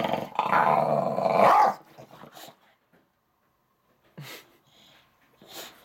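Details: Upset English Bulldog in a tantrum: a long loud growling grumble for nearly two seconds, then quiet with a few short sharp bark-like yelps and snorts spaced apart.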